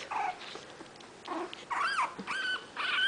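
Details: Five 20-day-old puppies of Itsy Bitsy, poking around and waiting for their mother to feed them, give high squealing whimpers in about five short bursts, some sliding up and down, indoors with quiet gaps between.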